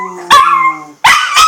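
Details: A female Chihuahua "sings," giving short, high yipping howls, each starting with a sharp yelp and trailing into a sustained tone.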